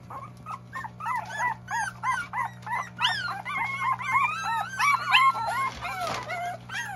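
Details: Goldendoodle puppies; a rapid series of high, wavering whines and yips, about three per second, overlapping and growing busier toward the end, with a steady low hum underneath.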